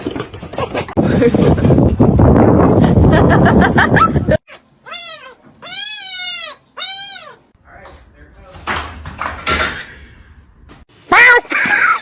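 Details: Domestic cat in a compilation of pet clips, giving three clear arching meows, each rising then falling, in quick succession, preceded by a loud rushing noise and followed by human speech and a brief bright burst.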